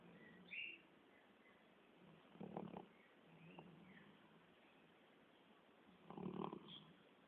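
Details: Sleeping Labrador Retriever snoring: two rasping, breathy snores about four seconds apart, each under a second long, with quieter breathing noise and a few faint high chirps in between.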